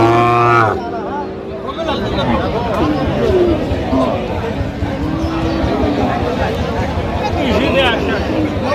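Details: Cows and calves at the Aftabganj cattle market, 25/10/25, with a deep, drawn-out moo opening the recording. Dense crowd chatter and market bustle continue underneath throughout.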